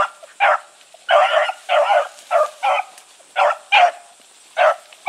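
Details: Hounds on the move, Blueticks running with Sassy, letting out separate short bays spaced unevenly about half a second to a second apart, some doubled, over a low steady hiss.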